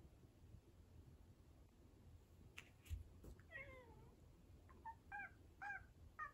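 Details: Rescued domestic cats indoors, an orange tabby eager to lick and nibble a tortoiseshell; soft short meows and chirps, first a falling one, then several quick rising chirps in the last two seconds, with faint knocks and rustling.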